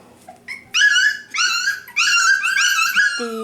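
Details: Five-week-old F1b Cavapoo puppies in a litter at a kennel in Carthage, Missouri, crying indoors: a run of high, clear whining yelps, each sliding slightly, in three or four bursts, with a short low whimper at the end.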